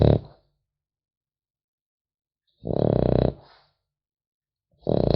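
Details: French Bulldog puppy asleep, snoring: one full rattling, pulsed in-breath snore of nearly a second between the tail of another and the start of the next, separated by silence.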